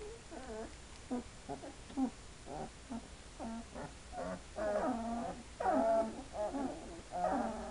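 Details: Two-week-old Hungarian Vizsla puppies making a run of short tonal whimpers roughly once a second, growing louder and more drawn-out, wavering whines toward the end.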